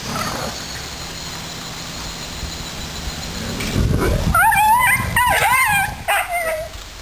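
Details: Dobermans playing in a backyard full of puddles just after a typhoon passed. Whining yelps with wavering, bending pitch come in the last three seconds, repeated rapidly, over a steady background hiss.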